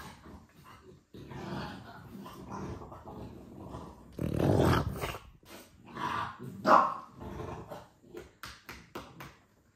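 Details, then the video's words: A male French Bulldog demands a walk from his owner. He growls and grumbles, swelling into a louder drawn-out moaning growl and then a sharp bark-like yelp, followed by fading snorts. "French bulldog makes it clear to the master that he wants to walk"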